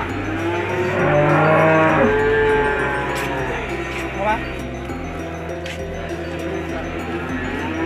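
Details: Peranakan Ongole (PO) feeder cattle in Indonesia, a herd shown for sale; low, drawn-out harmonic moos rise and bend in the first half, with steady background music throughout.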